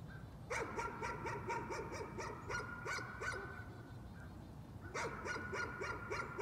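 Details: Nuisance barking from a dog: quick runs of sharp, evenly spaced barks, a pause near four seconds, then another burst, over a low background hum.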